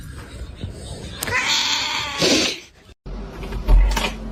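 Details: Domestic cat from a funny cat compilation giving drawn-out, strained meowing cries that rise and break off, with a short silent cut, then a louder final cry over background music and some voices.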